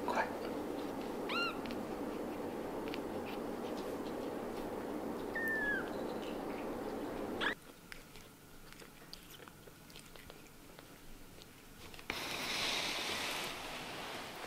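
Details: Kittens with freshly opened eyes give a short, high mew early on. A second thin, downward-curving mew follows a few seconds later. Then the steady room noise drops away into quieter handling rustles and a burst of broad hiss.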